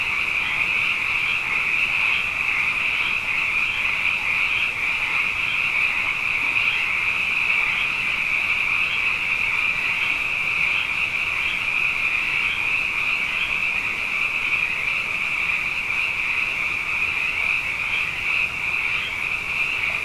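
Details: Frogs in great numbers after two wet years, singing night after night; a thick, constant high chorus with brief brighter notes popping out roughly every second above the steady trilling mass.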